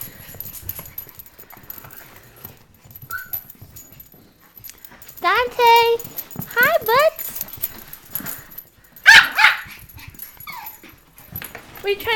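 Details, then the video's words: Pet dogs indoors, worked up by a bird that came into the house from a small attic hole over a walk-in closet; a quick burst of high, rising yelping barks in the middle, with a woman talking before and after. "Bird in house - Cat & Dogs go Crazy"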